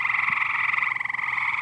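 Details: A large number of frogs in a backyard pool produce a loud, unbroken trilling chorus, rapidly pulsed and buzzy, with no pauses across the short stretch.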